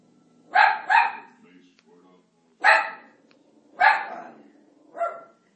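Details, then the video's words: Italian Greyhound Marty barking at Moses on TV during The Ten Commandments, disliking him: sharp paired barks, then single barks spaced about a second apart, with faint rumbling between. "Italian Greyhound Barking At Moses"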